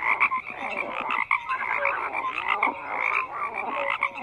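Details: Many frogs croaking together in a dense chorus, overlapping rough croaks and short tonal notes stacked in the mid range, calls pulsing irregularly with no gaps of silence.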